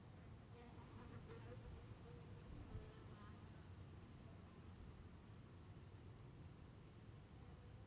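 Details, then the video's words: Soft bee buzzing in the countryside of Heiden, Switzerland, with several wavering humming tones that come and go during the first three seconds, then fade into a quiet, steady low-frequency background hiss. "soft bees sound"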